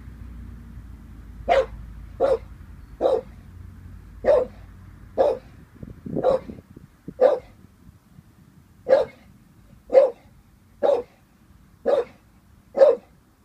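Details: Wary of a balloon, Vinnie the 18-month-old Staffordshire Bull Terrier delivers about twelve sharp barks over thirteen seconds, irregularly spaced, with a pause and soft shuffling noises midway.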